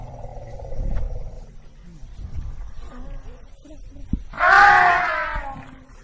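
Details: African elephant giving a loud harmonic trumpet blast of about one second near the end, preceded by low rumbling and scattered faint noises.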